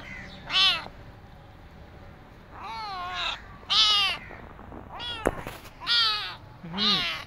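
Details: Abandoned kitten, starving and limping on the street, cries loudly in five or six strong, wavering meows with rich harmonics, separated by short pauses; one sharp click sounds midway.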